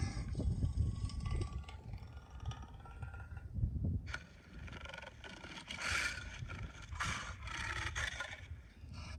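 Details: African lion roaring, played for comparison with a mountain lion: deep, low rumbling roars open the sequence and return near the four-second mark, followed by fainter, scattered broadband bursts.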